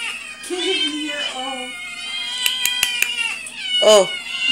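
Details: Domestic cat family of father, mother and kittens calling together indoors: overlapping drawn-out, wavering meows and higher squeaky mews, with a few sharp clicks and a steady low hum.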